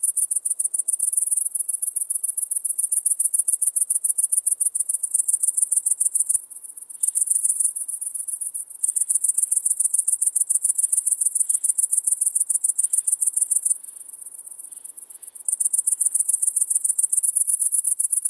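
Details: In Maising, Germany, on 11 September 2020, a great green bush-cricket sings loud, shrill pulsed trains at about 214 pulses a minute. The trains break into quieter gaps around 6.5 and 14 seconds, then resume.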